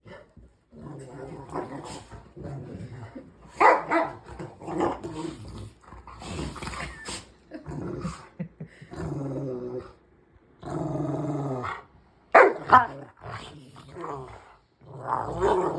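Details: Two Rottweilers that usually play well together growl and snarl in rough play, with rumbling, harmonic bursts broken by short snaps and barks.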